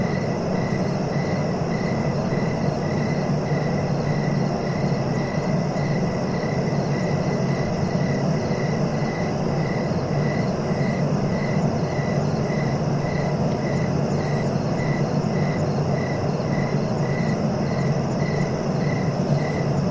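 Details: Steady cricket chirps, evenly spaced short pulses coming a little faster than twice per second, unbroken throughout, set against continuous low-pitched background rumble.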